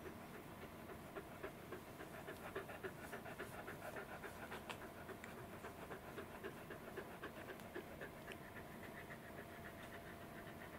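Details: Roku, a fluffy Welsh Corgi, petted indoors in an air-conditioned room yet looking hot, July 11, 2019; steady quick breathy panting, short rhythmic puffs about three to four each second, with soft rustling of fur beneath.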